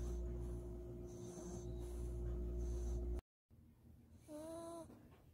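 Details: After a warm bath and drying, a Maltese dog sleeps snoring in its owner's arms: airy rhythmic snorts, then after a short break one whistling, nasal snore with a clear tonal edge, over a low background hum.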